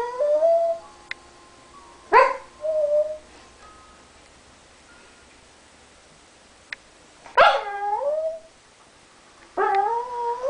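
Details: Pembroke Welsh Corgi making strange whining noises because its owner won't play ball. Sharp yelping onsets slide into wavering harmonic whines, in several separate bursts with quiet gaps between.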